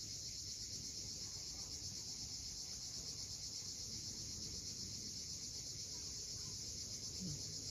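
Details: A sunset cicada chorus from the rocky seashore at Cape Fiolent in Crimea holds one unbroken, sizzling high drone throughout. Deep wave wash rolls beneath it, with a faint short sound near the end.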